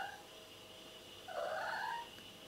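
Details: Domestic cat indoors giving one drawn-out, wavering meow that rises then falls, lasting under a second, while a woman asks it about its day and whether it slept; steady faint background hum.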